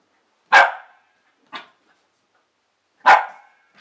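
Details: Nine-month-old female Pembroke Welsh Corgi barking while playing with a fitness ball: two loud, sharp barks about two and a half seconds apart, with a softer, shorter bark between them.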